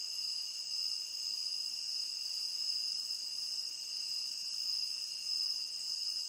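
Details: Crickets chirping in a tropical rain forest, a steady continuous high-pitched shimmer of overlapping trills with bright bands around the upper register, no pauses and no other clear sounds.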